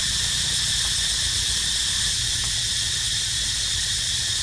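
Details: Steady, shrill cicada chorus, high and dense, droning without a break across a short stretch where a baby monkey named Dito rests; only faint low rumble underneath.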